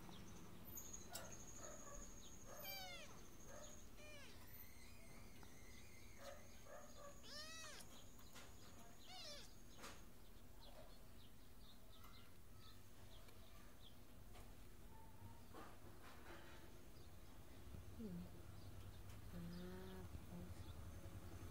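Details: Small orange kittens at play in a window, adopted from the street, let out brief squeaky arched mews in scattered bursts over a constant low hum, with light knocks and clicks between calls.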